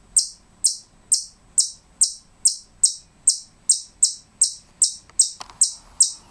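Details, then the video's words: A pet squirrel gives a steady run of sharp, high, bird-like chirps, about two each second, with a brief soft rustle near the end. "squirrel is making funny bird sounds!"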